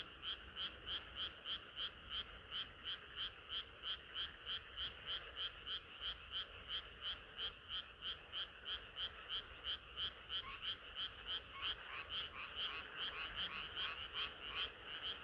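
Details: Frogs singing together on a hot summer night, a steady train of pulsed croaks about three each second, each croak a two-toned buzz, rising slightly in loudness toward the end.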